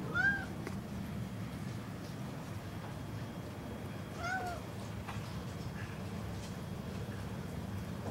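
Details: Ludwig the cat, a domestic cat, gives two short falling meows about four seconds apart indoors, over a steady low hum of room noise.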